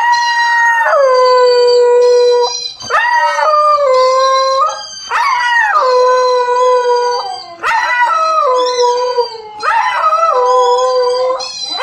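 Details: A four-month-old Siberian Husky puppy, reacting to a howling dog on TV, howls in long, wavering, rich-toned notes, each lasting about two seconds.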